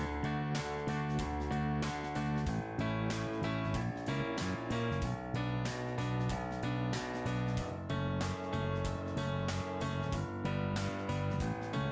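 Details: Strummed acoustic guitar music plays with a regular rhythm, and no animal sound can be picked out.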